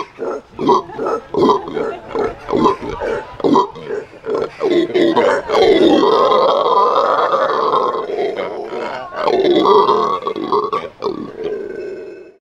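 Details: Morning howl of Venezuelan red howler monkeys at a zoo: rapid rhythmic grunts, about two to three per second, build into a long, loud, rough roaring chorus that swells and fades.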